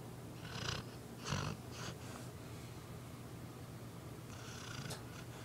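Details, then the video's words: A female pet dog asleep and snoring softly: a low, steady rumbling drone with a few brief, breathy snorts near the start and end, over quiet background hiss. "Dog snoring"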